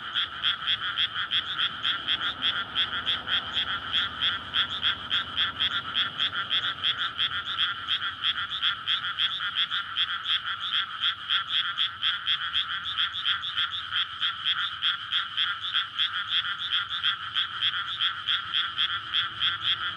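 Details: On a May night, a dense chorus of frogs calls in a flooded rice paddy before planting, with rapid rattling croaks merging into a pulsing trill. The calls are courtship for breeding, in a paddy ringed by houses beside a road.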